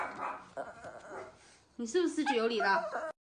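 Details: Indoor pet Yorkshire Terrier talking back after being scolded for causing mischief; a woman's scolding voice, then a drawn-out, wavering, whiny grumbling vocalisation lasting over a second, rising and falling in pitch.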